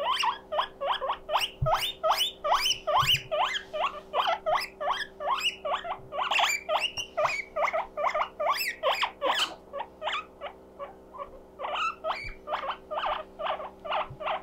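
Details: Loud 'puipui siren' squealing from Mokohei, a pet guinea pig calling out because he feels lonely: fast upward-sweeping whistles, roughly two or three per second, steady and insistent, with a constant low hum underneath.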